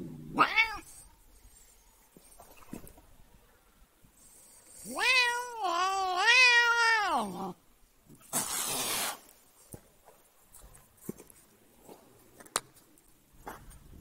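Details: Cat annoyed by its owner: an opening meow, then a long, loud, tremulous yowl of nearly three seconds, followed by a breathy hiss and scattered clicks.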